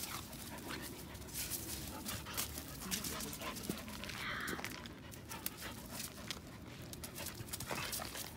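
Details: Two Samoyed dogs, Zena and Gabby, mud wrestling together in play; rough breathy panting and scuffling bursts run throughout, with soft whimpery sounds and people talking and laughing in the background.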